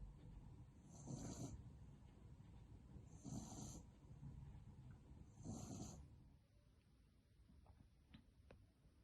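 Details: Sleeping small French Bulldog named Elton snoring: three rough, breathy snore bursts about two seconds apart over a steady low hiss, followed by quieter room noise.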